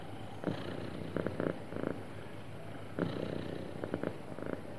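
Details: Happy domestic cat purring smoothly: a steady low rumble with soft pulsing bursts recurring every half second or so, quiet and continuous with no other sounds.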